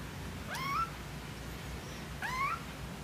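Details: Cat giving two short upward-sweeping meows about one and a half seconds apart over a steady low background hum.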